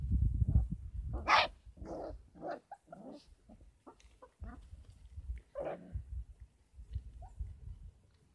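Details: Kangal puppies, 33 days old, on a Kangal dog farm, making a run of short, irregular yelps and low barky bursts mixed with rustling and thumps.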